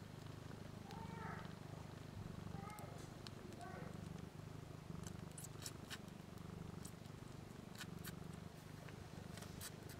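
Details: One-week-old kittens nursing on their mother BlueBelle, three females and a male, eyes and ears still closed, just learning to purr: a low, steady pulsing rumble throughout, with a few brief high mews near the start.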